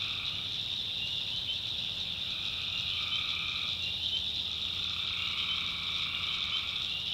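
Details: Night chorus of tree frogs from North Carolina backwoods swamp, a steady shrill wall of overlapping trills with a lower pulsing layer that fades in and out twice.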